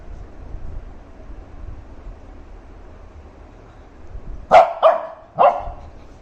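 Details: A Shih Tzu, angry and wanting attention while its owners were busy filming, gives three sharp, mid-pitched barks in quick succession after a quiet start.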